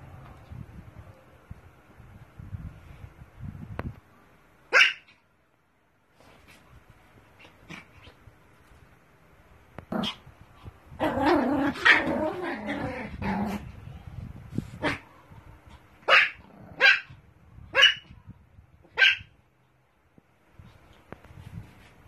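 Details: Small Pomeranian dogs; sharp high barks scattered through the clip, a short cluster of overlapping yaps near the middle, then four evenly spaced single barks about a second apart, over low rumbling background noise.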